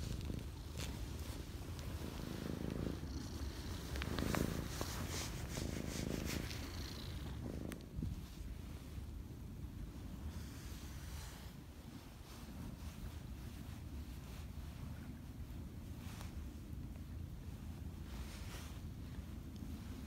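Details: Purring from one of many cats encountered at Lake Biwa in Japan as they climb onto a person; deep continuous rumbling purr, with a burst of brighter rustling and handling noise in the early seconds before settling.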